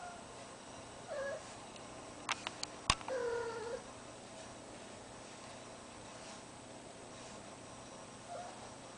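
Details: Cat in heat calling indoors near a deaf ferret, two short descending meows around one and three seconds, the second longer and wavering, with a few sharp clicks between and a quiet steady hum behind.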